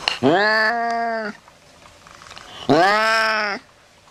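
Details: Cat meowing, played to scare off rats: two loud, clear meows about two seconds apart, each rising sharply then holding a steady tone before cutting off.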